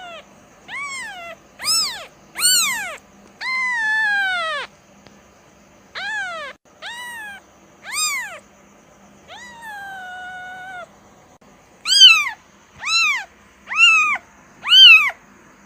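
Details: Kitten giving a series of about fourteen high, arched meows, mostly short, with two long, flat drawn-out cries near the middle; a faint steady low hum runs underneath.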